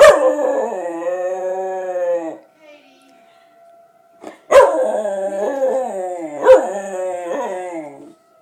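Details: A dog howls in response to a tornado siren: long, loud, harmonic howls that slide gently downward, one lasting over two seconds and then two more close together after a short pause, with a faint steady tone in the gap.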